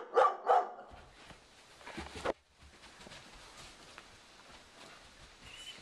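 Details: Female Dobermann named Sugar Tree barking indoors in a living room at a cow skull hung on the wall, protecting her owner from it. Two sharp barks open, a third follows two seconds later, then quiet room noise.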